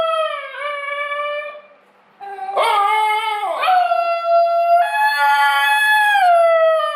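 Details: Basenji double yodel: a held tone with a small step up, a brief pause, then loud sliding, warbling yodels swooping down and up, ending on a long, slowly rising sustained note.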